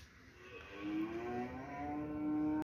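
A Rottweiler gives a drawn-out, steady tonal note that rises slightly and holds for about two seconds.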